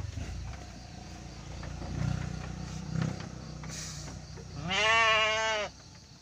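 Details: Bleat from a Garut sheep during the birth of triplets: a strong, rich, wavering bleat of about one second near the end. It follows low rumbling, shuffling and a faint hum.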